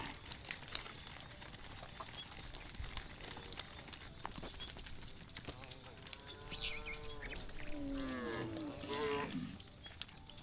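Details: A herd of cows led through sticky, muddy rice fields to the livestock pen; one drawn-out nasal moo swells and then drops away in pitch over about three seconds against a hissing rural background.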